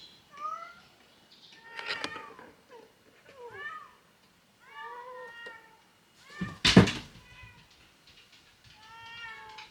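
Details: A kitten trapped in a neighbourhood garage, on the second day of calling, gives about eight plaintive, high, bending meows as if trying to escape. A sharp knock or bang sounds partway through.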